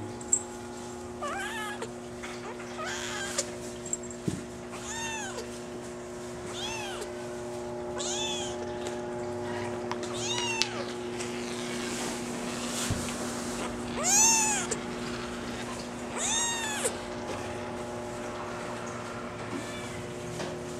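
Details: Brown mackerel tabby and white Maine Coon kitten, a girl born July 17, meowing repeatedly. Thin, high, arching mews come every second or two throughout, some faint and some stronger, against a constant electrical hum.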